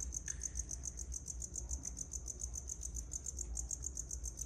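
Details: Feeder crickets in a Madagascar hissing cockroach tub chirping in a fast, steady series of high pulsed trills, with a low background hum and a few faint clicks.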